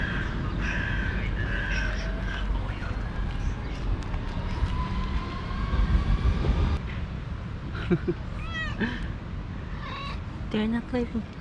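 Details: A mother cat with her four active kittens, at a time she refuses to nurse them. Harsh cawing bursts come first, then a few short rising-and-falling meows near the end over steady low background rumble.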